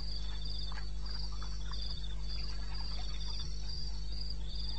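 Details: Crickets calling at night in wild eastern Botswana, recorded 2:30 am, 21 May 2016; shrill pulsed chirps in two voices repeat rapidly, with scattered faint clicks and other soft night calls beneath a constant low drone.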